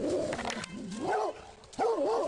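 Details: Rhodesian Ridgebacks in a public park alerting their owner to a man hiding among trees: drawn-out, wavering harmonic barks and whines, broken by a short gap, while a man shouts "go back" repeatedly.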